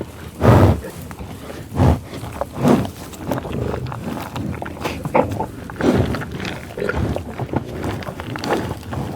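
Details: A cow gives brief, low, throaty, rough-edged moos, about half a second each, in the first few seconds, then softer rumbling lows and grunts spaced irregularly.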